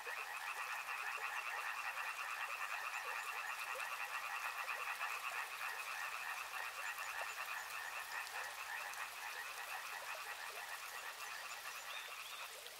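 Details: Frogs heard along a river in a continuous chorus, rapid croaking pulses from many callers blending together, gradually fading slightly toward the end over a constant watery hiss.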